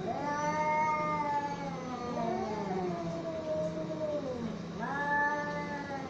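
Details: Cats squaring off in a fight utter long overlapping wailing yowls, slowly sliding downward in pitch, with a renewed higher wail rising near five seconds; low constant hum beneath.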